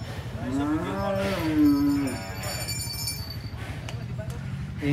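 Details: Agitated cattle raging at a cattle contest in Banyuwangi, Indonesia; one long, tonal, slightly wavering moo rises then falls over about one and a half seconds, with steady crowd murmur and a low rumbling hum.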